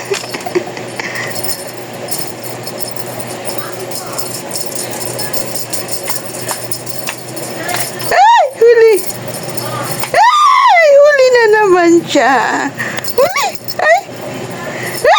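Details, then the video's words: Talking cat quiet at first, then two clear meows near the end: one short and rising-falling, then a longer one that slides steadily downward, over a low jingling and murmuring background. "TALKING CAT"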